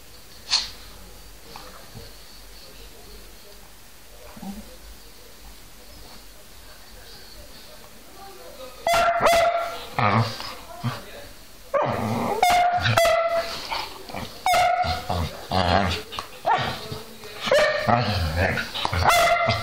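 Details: Whippets Milo and Gino, recorded 5 February 2013, stay quiet for several seconds and then break into a run of sharp, repeated barks at an irregular, fast rhythm that continues to the end, with some mixed-in whimpering tones.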